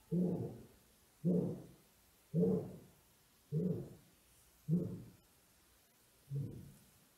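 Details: Black-maned lions outside !Xaus Lodge, Kgalagadi National Park, South Africa, recorded by cellphone on 9 January 2018: six muffled, low grunts spaced about a second apart, quieter and more distant, over faint background hiss.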